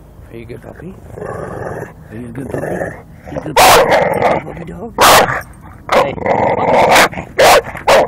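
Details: Bulldog going after garbage can wheels whenever the can is moved; sharp loud barks come in quick bursts after a stretch of speech, a person praising it as a good puppy.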